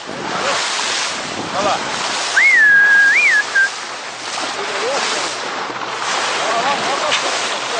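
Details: Wild dolphins behind Ilha Anchieta near Ubatuba, Brazil, produce a single wavering whistle with two upward sweeps and a short trailing note, nearly buried in heavy wind, surf and boat noise, with voices faintly present.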